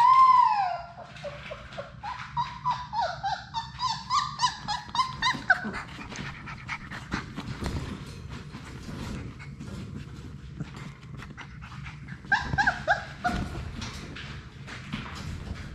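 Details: Labrador Retriever puppies, six siblings romping in an indoor play room, open with a loud whine, then a quick series of squeaky yips and whimpers, followed by scuffling and pawing, with another burst of yelps later.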